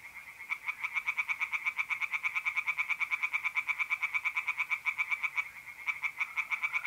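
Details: Singing tree frogs in a pond by night in April, north-east Italy: a loud, unbroken series of fast pulsed croaks, roughly several per second, with a mole cricket trilling steadily underneath.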